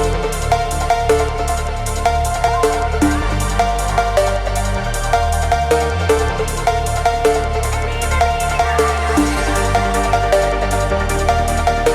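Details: Loud electronic dance music with heavy bass and driving drums plays without pause.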